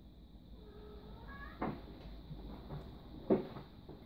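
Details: Male Snowshoe kitten born October 2015 giving two thin, high meows, the second rising, followed by sharp knocks and clatter, with a steady high electrical whine in the background.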